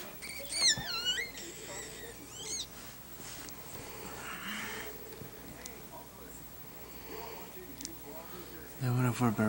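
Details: High, thin wavering squeals during a Yorkshire Terrier's birth of seven puppies, short bursts near the start and again at the end, with quiet human voices talking in between indoors.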